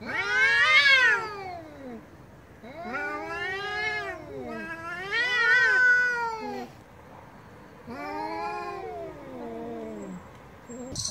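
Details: Loud angry meowing from a domestic cat, four separate long yowls, each starting high and sliding downward, spaced a couple of seconds apart with quiet gaps between.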